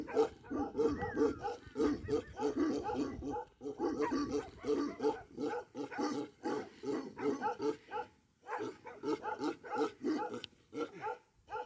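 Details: Himalayan Bhote Kukur sheepdogs, Okhaldhunga type, kept on a farm near Kali Pokhari lake in eastern Nepal at over 3,000 metres, barking hard and continuously in dense overlapping volleys with short pauses around the middle.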